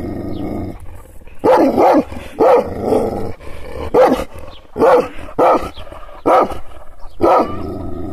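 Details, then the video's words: Kangal, an Anatolian shepherd dog made angry by hand gestures without contact: a short low growl opens, followed by about eight harsh, deep barks, some paired, at irregular intervals under a faint rumble. "Yırtıcı kangal köpeği anadolu aslanı çoban köpeği kızgın köpek havlamasi urmesi sesleri"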